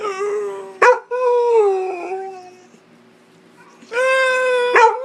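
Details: Pit Bull howling in a contest with a person at home: two sustained, slightly wavering howls with rich overtones, separated by a quiet gap, the first sliding gently downward.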